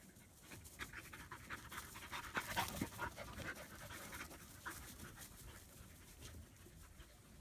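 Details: Playing German Shepherd puppies in Florida, a little female and half-brother Psycho, both a few months old; soft rhythmic panting, roughly two breaths a second, peaking midway, with light knocks in the background.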